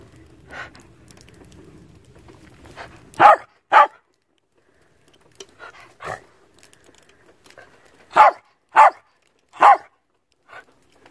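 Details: Playful barking from an old Sheltie Collie outdoors in snow on a farm, calling for a playmate. A pair of sharp barks, a pause with quiet snuffling, then a run of three evenly spaced barks. Low rumbling noise comes early.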